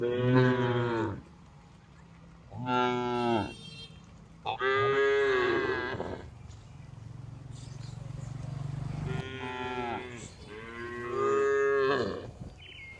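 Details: Tame cows on a village farm, herded in the afternoon and returning to the barn, give loud, drawn-out harmonic moos. About five calls come in bursts of one to two seconds, separated by quieter gaps.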